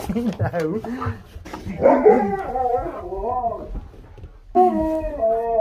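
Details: Husky pair playing together indoors, one giving wavering, harmonic howl-talk phrases that rise and fall, with a longer sustained howl near the end; a person laughs and speaks over parts.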